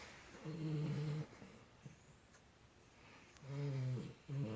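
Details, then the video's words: Puppy snoring with low, tonal, humming snores, three in all: a long one, then a pause of quiet breathing, then two more close together, each with a slight whining buzz. "코고는 강아지"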